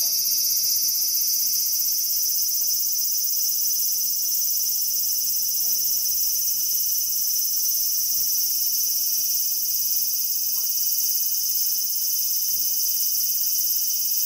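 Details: Cicada singing: a continuous, shrill, high-pitched buzz that holds steady and loud for the whole stretch, with no breaks or change in rhythm.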